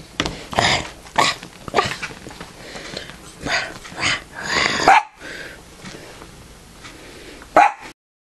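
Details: Ambrose, a pet dog, being teased in play: a run of short, rough barks and growly yips in irregular bursts, then a pause and one last sharp bark, with a person talking nearby.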